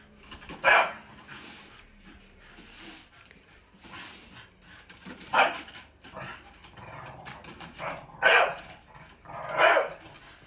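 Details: Blue Staffordshire Bull Terrier, a pet dog, scared of a broom and telling it off: four sharp, loud single barks spaced irregularly over ten seconds, with quiet room noise between them.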